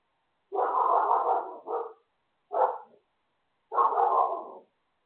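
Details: A neighbour's dog barking next door: three loud, harsh barks, the first long and breaking into a second burst, then a short sharp bark and a final extended bark, with quiet between them.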